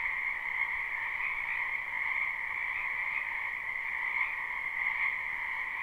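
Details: A wetland full of frogs in spring, captured live: unbroken croaking chorus of countless overlapping callers, an even shimmering drone with faint swells.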